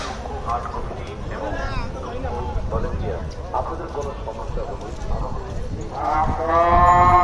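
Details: Cattle at a cattle market in Dhaka, Bangladesh: a loud, drawn-out harmonic moo swells near the end, over steady crowd chatter and men talking throughout.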